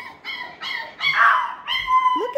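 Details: Six-week-old Parson Russell Terrier and Russell Terrier puppies at Blossom Valley Kennel give a run of high, tonal whimpering whines that rise and fall in short bursts, with one louder, buzzier squeal in the middle.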